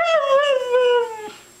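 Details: Pet Siberian husky, a female, "talking" in a vocal exchange with its owner, who repeats "I love you": a single smooth harmonic howl, starting high and sliding slowly downward for about 1.2 seconds, then fading out.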